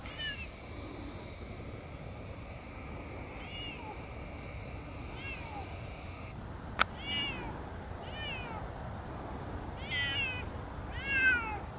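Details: Two Siamese cats, Otani and Yozora, walking off leash through an unfamiliar meadow and howling to keep together; about six short arched, wavering meows, sparse early then clustered near the end, over a steady high tone and one sharp click.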